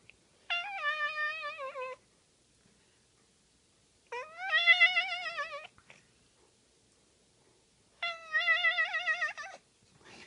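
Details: Held in a man's arms and shaken as it meows, a cat gives three long wobbling meows about every four seconds, each vibrato-like and sustained, sounding like a funny sung note, with silence between.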